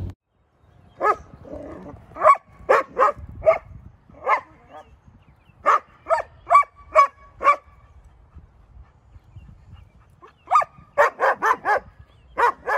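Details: Six-month-old female German Shepherd, said to lack confidence and react to dogs, animals and squirrels outdoors on walks, shown in a reactivity display: sharp barks in uneven clusters of two to five, with short quiet gaps between bursts.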